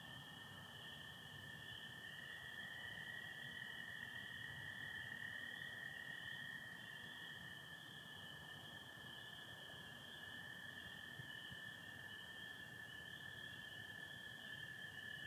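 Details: Michigan spring night, 24 April 2025, starry with partial overcast: a dense, unbroken high chorus of spring peepers over a lower steady trill of American toads lasting the whole stretch, with faint low rumble beneath.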